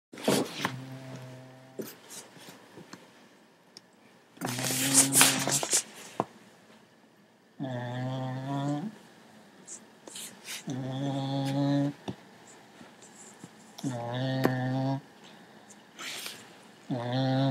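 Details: A sleeping Cocker Spaniel snores in low, buzzing rasps that come back every few seconds.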